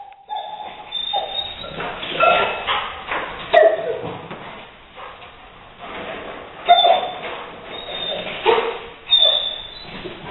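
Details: Leo, a Rottweiler, reacts to a gray squirrel intruder he later evicts through an open window: high thin whines and short yelps come in several bursts, mixed with clattering thumps and scuffling indoors.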